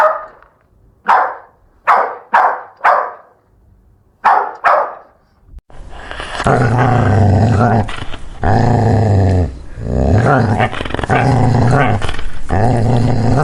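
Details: Puppies at play with toys on grass bark in a string of sharp, irregular yaps for about five seconds, then shift to continuous rough, low growling and noisy scuffling.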